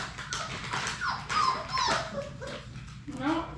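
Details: Six Labrador Retriever puppies at play in their puppy play room, a chorus of thin squeaky whimpers and high squeals overlapping, with a person speaking softly in the background.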